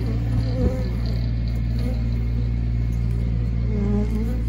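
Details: Bees described as happy make a continuous low droning hum with a steady deep tone and layered overtones. The buzz stays level throughout, with a few faint higher whines drifting over it.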